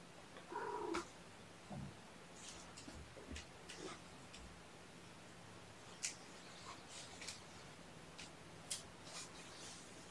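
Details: Drowsy kittens stirring from a nap indoors on weigh-in night, June 2018. A single short, thin meow opens the clip, followed by faint rustling and light clicks against a quiet room background.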